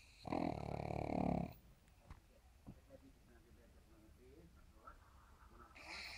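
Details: Sleeping pug snoring: one loud, rough, buzzy snore lasting just over a second, then near silence with faint soft breaths before another snore begins at the end.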